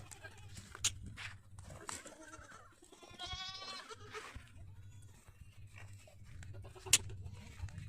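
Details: A goat on a farm in Pushkar village, Ajmer district, Rajasthan, India, gives one quavering mid-length bleat amid a noisy background with occasional sharp clicks and low rumble.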